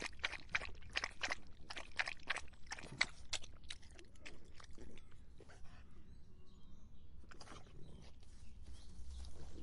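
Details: Dog drinking in the hot summer, lapping water in a fast run of sharp, wet clicks, then quieter, more scattered laps toward the end over a low steady rumble.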